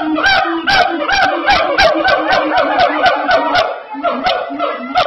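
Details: Siamang gibbons at Ragunan Zoo, South Jakarta, give very loud calls, a rapid run of harsh, tonal whoops and barks about twice a second, several voices overlapping into a dense, ringing chorus.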